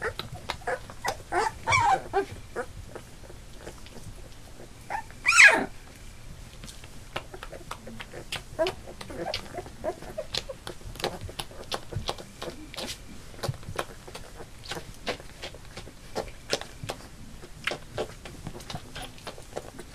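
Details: Eight Labrador Retriever puppies, two days short of three weeks old, newly walking with eyes open; a few short high whines and one louder rising squeal stand out over steady scratching, clicking and shuffling.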